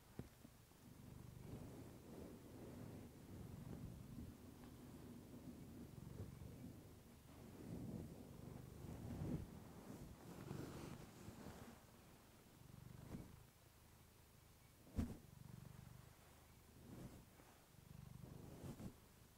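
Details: Clementine, a female pet cat, purring close to a fluffy microphone: a low, rumbling purr in long breathing phrases, softening mid-way, with a sharp click near fifteen seconds.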